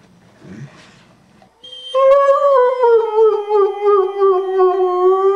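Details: Liam, a singing Irish Wolfhound, breaks into a long, steady howl after a quiet start, holding one pitch that sinks slowly over about three and a half seconds, rich in stacked overtones.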